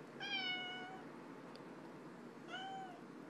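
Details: Indoor pet cat meowing a lot while lying on its back: a long level harmonic meow with a slight drop at the end, then a shorter one two seconds later, quiet room background.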